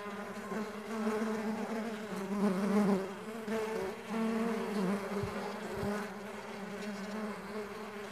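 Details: A swarm of stingless bees at a bee farm giving a thick, steady wing hum, louder in the first three seconds, with a couple of soft knocks later on.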